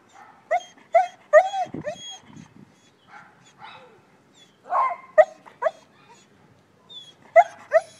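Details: Young male German Shepherd, seven months old, barking at someone while a person urges him on with spoken commands; clusters of sharp harmonic barks early and late, with talking in the gaps.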